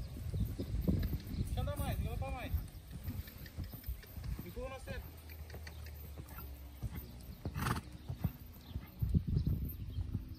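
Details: Purebred Lusitano horses at a stud farm. A brief wavering whinny rises and falls near two seconds, with a shorter one near five seconds. Hooves clip-clop throughout and people talk.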